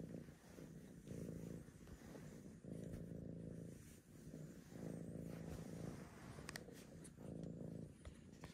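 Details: Tabby cat Archie purring loudly and rhythmically, the low rumble swelling and easing in breaths about every one to two seconds as he asks to be petted.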